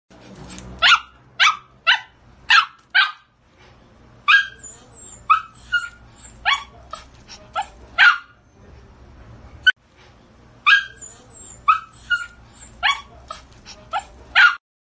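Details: Pomsky. A Pomsky gives a run of sharp, high-pitched barks, each one short and bright. They come in clusters of three or four, separated by brief quiet gaps.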